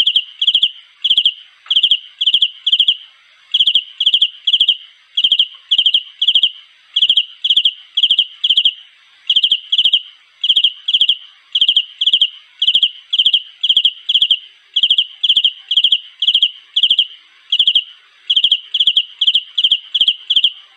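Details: Cricket singing to find a mate: continuous rhythmic high chirps, each of three or four fast pulses, about two per second, sustained evenly over twenty seconds with a clean, silent background.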